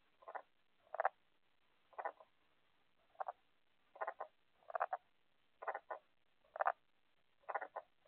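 Tomato frogs giving short, low, hoarse croaks, singly or in quick pairs, about once a second.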